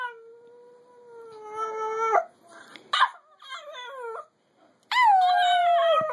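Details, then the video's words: Floyd the Chihuahua singing with a steady, drawn-out howl, followed by choppy wavering yips and a final strong howl that starts high and slides gently downward. "Floyd is the best Chihuahua singer in the world"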